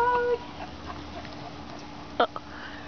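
A corgi gives a brief, tonal whining yelp, then a short, sharp bark after a quiet pause.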